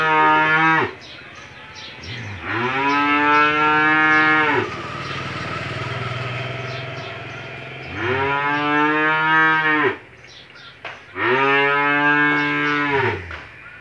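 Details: Australian-breed cow in her second calving, kept with her one-day-old male calf on a Bangladesh farm, gives four drawn-out, rich lowing calls separated by short pauses. A steady low hum runs underneath.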